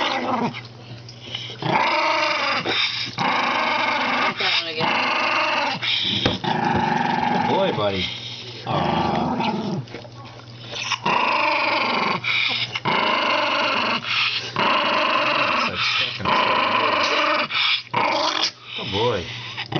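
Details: Aging Toy Poodle, senile in old age, growling repeatedly in rough rasping bursts of varying length, some rising and falling in pitch, mixed with short whiny sounds and a low steady hum.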